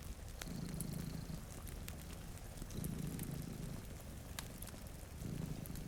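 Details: Two cats sleeping in front of a rainy window beside a cozy fire; low, rumbling purr swells in slow bursts, about three in six seconds, under steady rain patter and sharp fireplace crackles.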